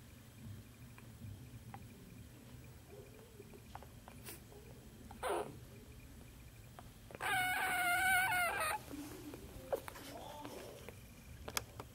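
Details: One of six Corgi puppies, one day old, gives a single high, wavering squeal lasting about a second and a half. Scattered rustling, clicks and handling noises fill the rest of the recording.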